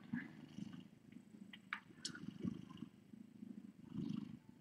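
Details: Domestic cat, a nursing mother with kittens in a rescue room late at night: a soft low purr rising and falling in irregular pulses, faint higher squeaks and rustling, and a quiet human voice just before.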